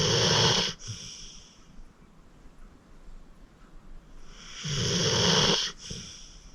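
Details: Rescued senior pit bull Acorn, aged 14, snoring in deep sleep; a loud raspy snore opens, quiet breathing follows, then another long grating snore builds and stops abruptly, the pair about five seconds apart.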